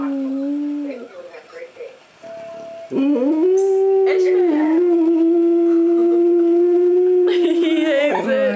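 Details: Ishmael the dog howls whenever the answering machine goes off. After a short spoken message, a long, steady, wavering howl holds for about four seconds before breaking off, with indoor voices before it.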